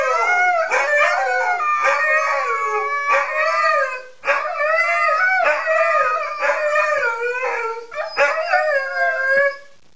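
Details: A group of Siberian Huskies in a sustained howling chorus of many wavering, tuneful voices that repeatedly rise and slide down, briefly fading near the middle before swelling again and ending abruptly.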